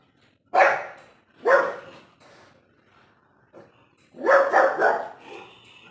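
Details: Domestic dog chasing off a stubborn cat at home; two sharp barks, a pause, then a quick burst of three barks close together, with a person's voice in the background.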